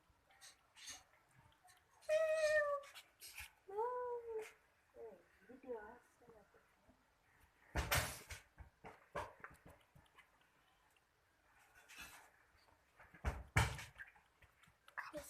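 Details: Hungry cat wanting to eat; two clear tonal meows early on, the first long and slightly falling, the second shorter and bent, followed by softer mewing, clattering knocks and a little speech in a room.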